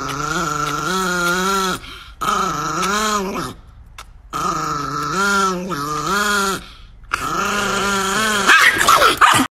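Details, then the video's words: Angry Chihuahua Niki growling in four sustained bouts separated by short gaps, each a tonal, rising-and-falling snarl, with a scuffling noise at the very end. "The most Angry Chihuahua in the world"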